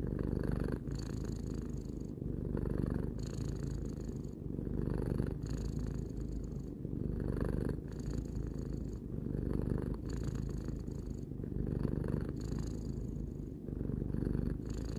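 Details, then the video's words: Steady purring from Tarou, a pet cat aged three, a deep vibrating rumble pulsing with each inhale and exhale about every one and a half seconds, unbroken for the whole stretch. "Cat purring"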